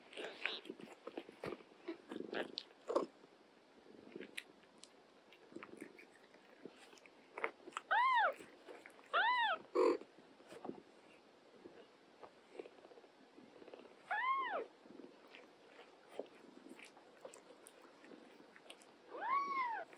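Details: Cats at home, an older cat caring for a young mother and her kittens, with four or five clear arched meows in the second half, each brief and falling at the end, over background chewing and small taps.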